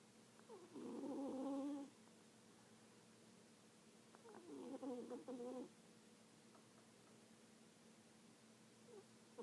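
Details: Sleeping cat snoring: two nasal, harmonic, wheezy rumbles, each lasting just over a second, come about four seconds apart with quiet breathing between them in a still indoor setting.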